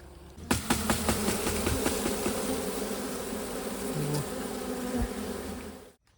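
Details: Honey bees buzzing while honey is harvested: a steady low droning hum with layered overtones, broken by several sharp knocks and handling clicks in the first two seconds, then cut off abruptly near the end.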